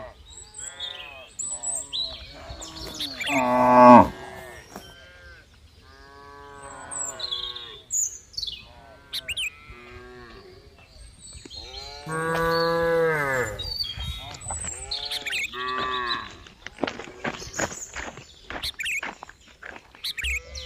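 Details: Cows mooing repeatedly with long, wavering calls. Some are deep and loud, one peaking strongly near four seconds and another near twelve seconds. Between them come higher, shorter calls and faint rustling.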